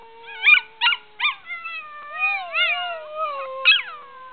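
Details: A six-month-old Australian Shepherd puppy learning to howl gives high, sliding howls broken by short, sharp yips.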